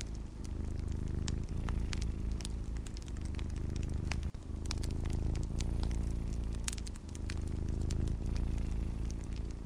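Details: Domestic cat purring in a steady low rumble that fills the whole stretch, its pulsing drone running beneath sharp scattered crackles and pops from a fireplace, part of a calm snowy-night ambience.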